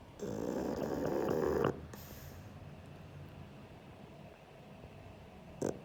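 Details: Asleep, Sheldon the pug gives one long buzzing, rattly snore lasting about a second and a half, then falls quiet with only faint breathing and a brief snort near the end.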